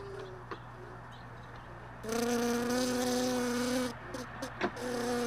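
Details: Honey bee flying close by hive boxes left in a truck bed, at early-morning sorting of frames; a loud, harmonic-rich buzz swells for about two seconds, fades, then returns, amid tapping sounds and a low background hum.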